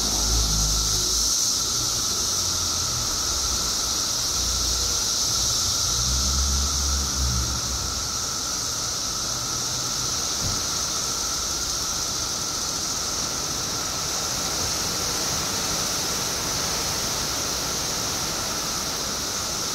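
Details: Illinois periodical cicadas, billions strong after 17 years underground, make an even, high-pitched roaring hiss. Low rumbling sounds, like passing traffic, appear during the first half before the chorus continues alone.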